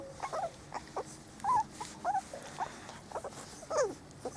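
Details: Four-week-old Spanish Water Dog puppies from Trella's litter on their first day out in the garden, giving short high whimpers and squeaks, some bending down in pitch, scattered irregularly about twice a second.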